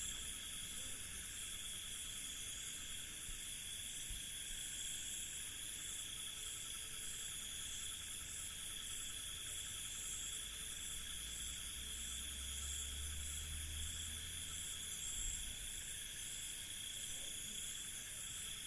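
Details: A dense night chorus of crickets in an Indian village, steady high trilling layered in several pitches without pause.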